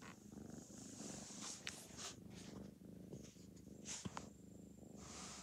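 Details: A four-month-old orange and white foster kitten from a cat rescue enjoys petting and purrs continuously. The soft, even purr throbs in a low register, with faint rustles and brief clicks of hands and fur on top.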